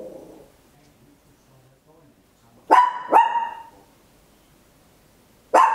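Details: Loud barking from a small Papillon indoors at home, Olympus LS-11 stereo recording: after a faint murmur and near silence, two quick ringing barks in close succession, then a pause and a third bark cut off at the end.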